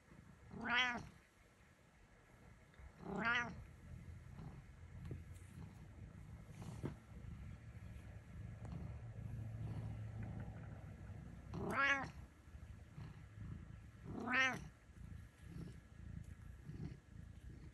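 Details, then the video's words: Butters the cat meowing: four clear harmonic mews, two near the start about two seconds apart and two more near the end, each a short rising-then-falling cry, with quiet room noise and low rumble in between. "Meows For All"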